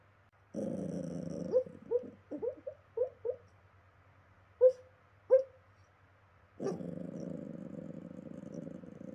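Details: West Highland White Terrier puppy asleep and dreaming: a low rumbling growl opens, then about eight short, soft, muffled yips and barks come in an uneven run before another long growl closes, over a faint steady hum.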